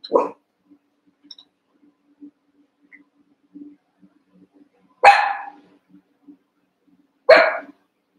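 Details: Playful barking from Cavalier King Charles Spaniel puppies about a month old, eight sharing a pen as they wrestle: three bright, abrupt barks, one at the start and two spaced about two seconds apart near the end, with quiet pattering between.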